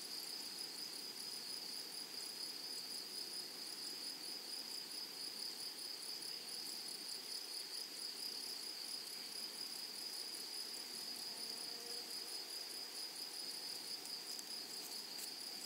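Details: A flowery prairie meadow full of grasshoppers gives a steady, unbroken high-pitched shimmer. The trill holds an even level throughout, with a faint higher ringing layer on top and only soft background hiss.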